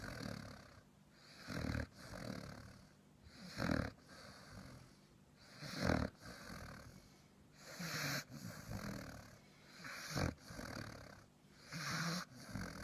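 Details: Sleeping dog snoring loudly, a steady rhythm of rough, wheezy breaths swelling and fading about every two seconds, each inhale a broad raspy rush with a low rumble beneath.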